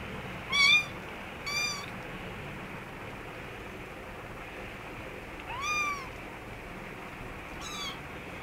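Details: Kittens and their mother cat in an office store room give four thin, high-pitched meows at irregular intervals, two close together, then a long pause before two more, over a steady faint background hiss.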